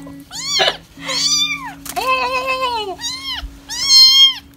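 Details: Kittens in a compilation of hungry, scared, lonely and angry kittens give a run of high, arched meows, some drawn out and wavering, over a faint steady background music tone.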